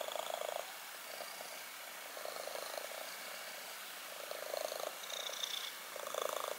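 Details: Black kitten purring in rhythmic bursts, the rumble swelling louder on each breath then fading, repeated several times over a few seconds.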